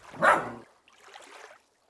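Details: Dennis, a Miniature Schnauzer puppy from Bergknallens Kennel in Fjärås, filmed in his first four and a half months, February to June 2020, on iPhone 11 Pro and DJI Osmo Pocket. One short, sharp harmonic bark, then faint soft rustling.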